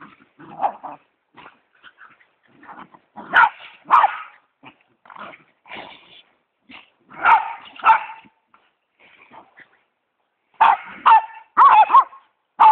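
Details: Westie and pitbull playing together after Thanksgiving dinner, trading scattered growls and short gruff barks separated by quiet gaps, with a denser flurry of snarly vocalizing toward the close.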